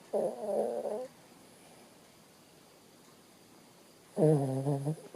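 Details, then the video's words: Bo Bo the Shih Tzu, fast asleep, lets out two humming, whistly snores about three seconds apart. Each lasts roughly a second with a slight rise and fall in pitch, and near-silence fills the gap between them. "bo bo Sleeping dog ..snore"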